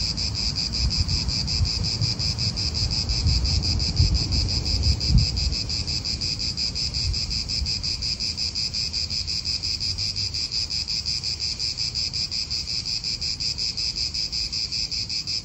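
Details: A continuous, vibrating cicada chorus fills an Italian park, the high buzz steady throughout, with low wind and distant traffic rumble fading after the first few seconds.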